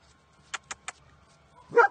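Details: During play with her owner and other dogs, Chichy, an 11-year-old female Pekingese, gives one short loud bark, preceded by three sharp tapping clicks.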